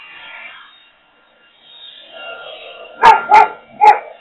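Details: Boxer dog reacting to a leaf blower: motor drone rising and falling, then three loud barks in quick succession near the end.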